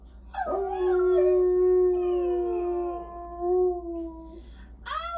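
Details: A single long, steady dog howl, held on one even pitch for about four seconds, ends with a slight dip and a short sharp rising yelp at the end.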